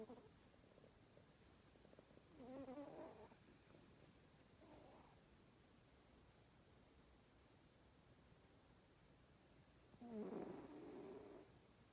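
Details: Darma, a female pet cat, snores through her nap time while hard to wake: a few buzzy, rasping breaths spaced irregularly, the loudest near the end, with quiet room tone between.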